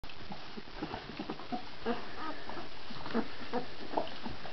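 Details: Irish Red Setter puppies, 18 days old, giving short, scattered squeaky whimpers and soft yelps of varying pitch, several overlapping over a low rumbling background.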